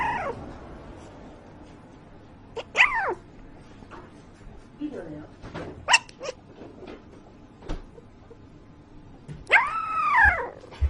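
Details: A puppy making noises in its sleep: drawn-out, arching whines that rise and fall in pitch, with small squeaks and snuffles between them. The longest whine comes near the end.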